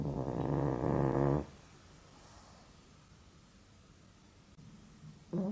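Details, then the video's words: Napping pug snoring as it struggles to breathe, unable to sleep deeply. One loud, rough, rattling snort-snore lasts over a second, followed by near silence, then the start of another snore at the end. "Pug Snoring"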